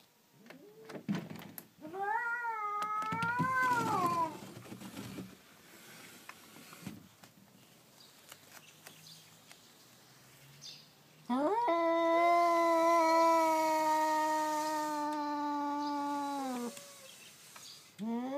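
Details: Two domestic cats, a tailed black-and-white cat and a tortoiseshell, the usual quarrelling pair, fighting outside a house: a wavering rising-and-falling yowl early on, a quiet gap, then one long, loud, steady drawn-out wail for about six seconds.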